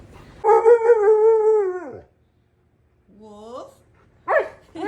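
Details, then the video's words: Wulf, a husky malamute mix, answers his owner indoors with a long sustained howling 'awoo' of about one and a half seconds, then a short rising whine, followed by a quick noisy yip. "Best talking dog videos"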